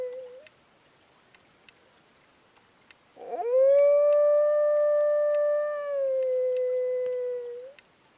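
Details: A wild dog on a ridge at 2am in July at -3°C, drawn to within 300 m of camp while being howled in, gives one long, steady howl that swoops up at the start and dips slightly before fading.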